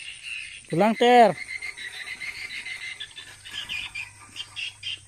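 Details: Tiger, a cat hunting rats in a rice field, gives two quick arched meow-like calls in succession, then falls silent while a steady chorus of insects and frogs pulses in the background.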